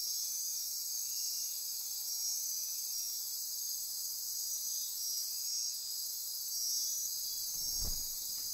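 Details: Rainforest insects near Corcovado National Park, Osa Peninsula, Costa Rica, at midnight keep up a steady shrill chorus of trills and buzzes; a short low thud near the end breaks in.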